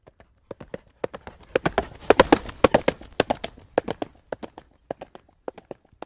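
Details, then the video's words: Horse trotting on a road: sharp clip-clop hoof strikes in a steady rhythm, about two per second, with a denser, louder cluster of overlapping beats near the middle before the even pattern returns. "Horse Trot on road Sound Effect"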